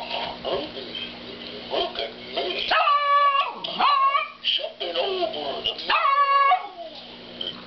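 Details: Pet dog barking at a cow that is snoring. Two long, bright, tonal barks come midway, each holding its pitch before dropping off, after a stretch of low, noisy background sound.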